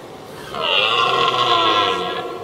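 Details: A single drawn-out red deer roar, about a second and a half long, throaty and rich in overtones. It comes from one of two rival stags trading challenges before a fight in 2023.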